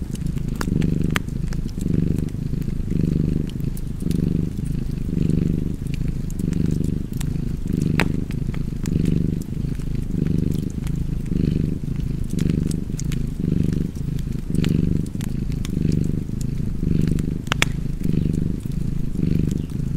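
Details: Sustained purring of a cat near a fireplace, the low rumble pulsing steadily about once a second over twenty seconds, while light crackling and occasional louder pops come from the fire.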